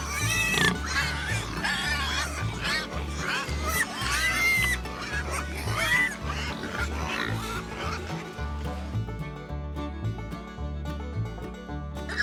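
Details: Domestic pigs, presented as farm animals, squealing and grunting: a dense run of harsh, wavering squeals with rising-and-falling tones for about five seconds, then tapering off, all over steady background music with a repeating bass beat.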